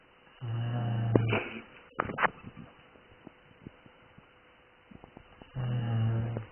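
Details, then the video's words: Two deep, rasping snores from a dog, separated by about four seconds of quiet with a few soft clicks and rustles. "Snoring dog"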